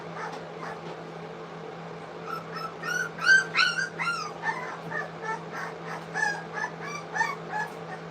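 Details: Three-week-old English Cocker Spaniel puppies eating food for the first time at a kennel; a cluster of high, wavering whimpers and yips, busiest in the middle, over a steady low hum and background music.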